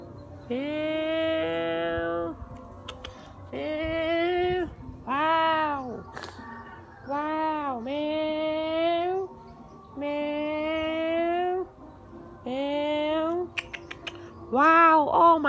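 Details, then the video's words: Sad cat meowing repeatedly in a varied series: some calls arch up and fall, others dip and rise or stay level, with brief pauses between them in an indoor setting. "Mrr cat very sad cat"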